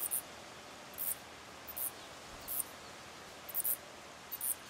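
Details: A pair of Mauritian tomb bats mating while clinging to a tree trunk in daylight. Six short, very high-pitched squeaks come in uneven bursts roughly a second apart, over a faint steady hiss.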